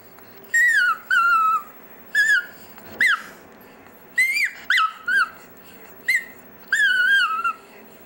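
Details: Dexter, a pet chihuahua, "singing" indoors: a run of high, wavering whine-howls, each about half a second long with a sliding pitch that rises and falls, coming in short bursts separated by brief pauses.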